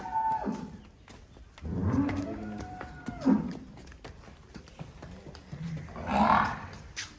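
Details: Jersey cow with a female calf on a dairy farm: a low, drawn-out moo swelling between two and three seconds, then a shorter, brighter call near six seconds, over faint clicks and background noise.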